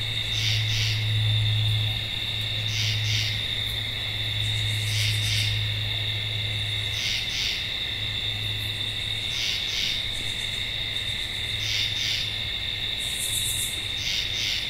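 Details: Tree frog calling: paired bright, rasping high bursts repeat roughly every two seconds over a steady high-pitched droning chorus, with occasional higher buzzy pulse trains and a low hum beneath.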